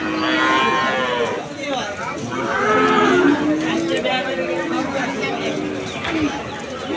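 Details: Calves mooing at the Aricha cattle market: several drawn-out, slightly wavering moos overlap across seven seconds amid a busy crowd of voices.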